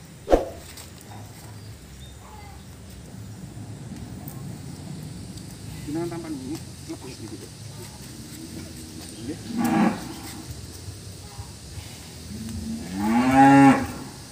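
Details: A cow giving birth while people assist with the delivery; mostly quiet with low rustling, a few short voiced sounds, then a loud, drawn-out moo with rich harmonics near the end.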